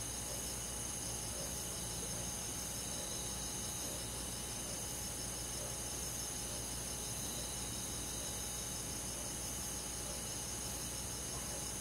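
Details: Summer-night chorus of crickets and forest insects: a continuous layered high trilling that holds level throughout, over a faint low hum.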